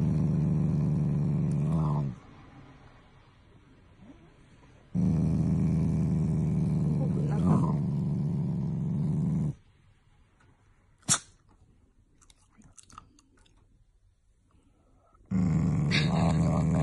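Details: Pet Shiba Inu growling affectionately, not angrily, toward its owners: low, droning growls lasting several seconds each, separated by quiet gaps with faint clicks and light handling noises.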